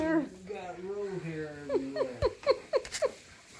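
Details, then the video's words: Indoor nightly play as Monroe, a female Siberian Husky, pins her owner: drawn-out wavering tonal moans slide down, then a quick run of six short yipping notes, with people talking around her. "Husky Pins Daddy"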